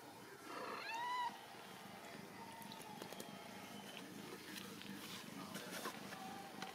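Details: Ragdoll kittens raised indoors without cages at a home cattery in central Kansas; one clear, tonal meow rises then falls in the first second, followed by quiet clicks, taps and soft household patter.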